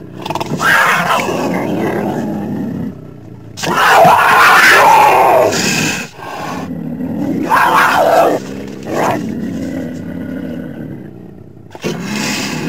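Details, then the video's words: Puma, or mountain lion, making rough noisy growls and snarls in several loud bursts of uneven length, separated by brief pauses, with a grating, breathy texture throughout. "The sound of a Mountain Lion(Cougar)"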